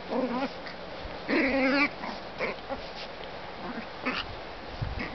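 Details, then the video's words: Two Chihuahua sisters fighting each other: short, snarling, tonal growls in bursts, with a louder wavering growl near the middle, then softer scattered snarls and scuffling. "Dogfight, sister on sister, Chihuahua"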